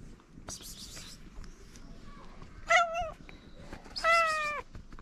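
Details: Hungry stray ginger cat on a Moroccan street, happy to see the person who feeds it again: two clear meows, the first short and wavering, the second longer and falling at the end, over faint outdoor background noise.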